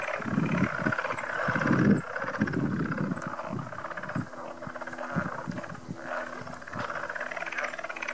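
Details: Small frogs at Goose Creek State Park call in a deep, throaty chorus heard from a distance, low croaks in irregular bursts about once a second over a faint hum, first mistaken for sandhill cranes or machinery.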